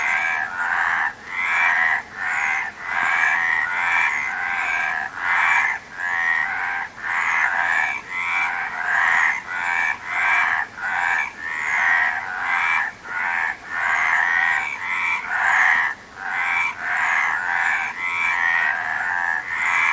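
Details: Frogs croaking in a dense chorus: rough, rasping croaks in bursts roughly once per second, overlapping each other almost without pause, with faint thin high chirps above.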